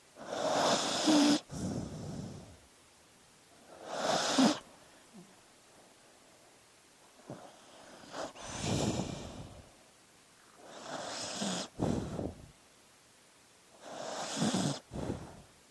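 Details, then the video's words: Sleeping dog breathing noisily, with five wheezy, snorting breaths in about sixteen seconds, each a rough burst about one second long separated by quiet pauses, some with a faint low snore. "Sleeping Dog Sounds"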